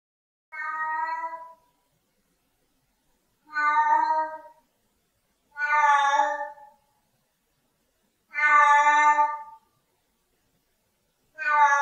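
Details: Siamese cat giving long, loud harmonic meows, five drawn-out wails spaced about three seconds apart on a silent background.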